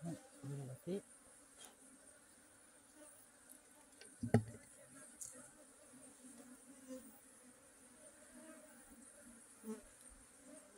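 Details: Honey bee buzzing as a low, steady droning hum with faint overtones, broken by a few soft knocks and thumps, over a quiet background hiss.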